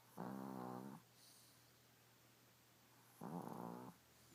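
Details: Chico, a pet Chihuahua, snoring in his sleep indoors: two drawn-out, harmonic, rasping snores, each just under a second long, about three seconds apart, with quiet room hush between them.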